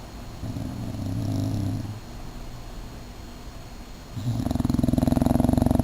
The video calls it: My English Bulldog Beef Snoring